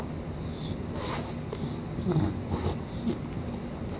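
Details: A male English Bulldog chewing his chew toy snorts and wheezes in irregular low bursts, with soft chewing noises in a small room.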